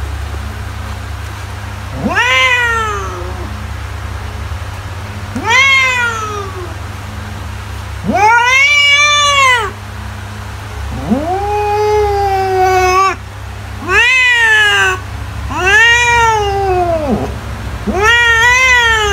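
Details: Cat sounds intended to drive mice away: a series of seven meows of varying length, some short and arched, others stretched over a second or more, spaced irregularly every two to three seconds over a constant low background hum.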